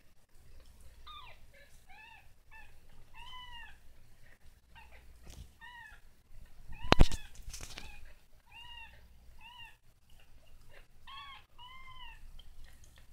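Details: Young kitten learning to walk, mewing in a rapid series of about a dozen short, high, bent meows, with a loud thump partway through and a quiet low room hum beneath.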